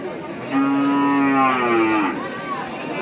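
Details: Cattle for Qurbani at the Hazratpur Paragram cattle market, Bangladesh, 3 May 2025: one steady, deep moo of about a second and a half that bends upward and then fades, over a background of chattering people.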